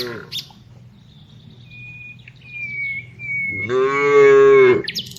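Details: Tame cow herded in the afternoon gives one strong, steady moo about a second long, preceded by quiet rustling and a thin, high bird whistle.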